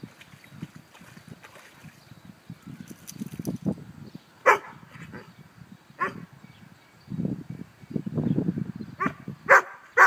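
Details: Barbet dogs, a father and son, playing in a pool on a hot summer day; a few sharp barks rise over low splashing and thudding water sounds, spaced irregularly.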